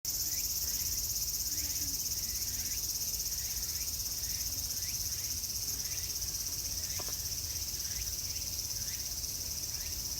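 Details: Cicadas in summer at Meiji Jingu shrine, Japan: a dense, steady high-pitched buzzing drone fills the air without pause, with faint short chirps from other insects or birds repeating in the background.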